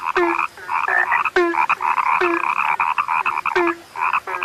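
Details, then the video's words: Several frogs of a kind said to be rare croak in a close chorus, sharp snapping calls followed by a dropping low note, spaced about a second apart amid constant nasal chatter. "SUARA KATAK YANG SUDAH LANGKA"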